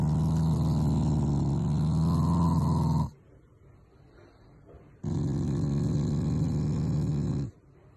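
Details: Shiba Inu Taiga, a loving family pet, growling in affection rather than anger; a deep vibrating growl of about three seconds, a pause, then a second growl of similar length.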